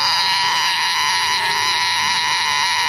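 A cicada sings a steady, loud, high-pitched buzz that drones on without a break.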